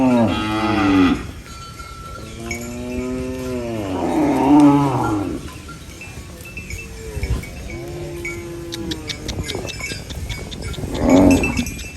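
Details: Cows mooing on a farm while eating banana leaves: several long, low, drawn-out moos with rich harmonics, some rising then falling, separated by pauses, with faint metallic clinking like a cowbell in the background.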